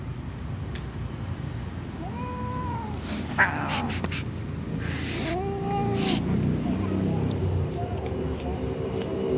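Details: Domestic cats, a little cat and a tom cat among others, meowing before eating: two drawn-out, arching meows about three seconds apart over a steady low background rumble, with brief clicks and knocks between them.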